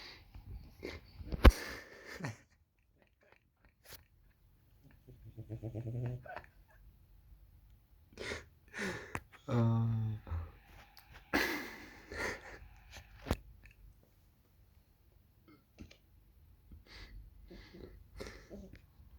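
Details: Cat asleep and snoring: short rattling, breathy snores recur every few seconds, some with a pulsing buzz, between quiet pauses and small clicks.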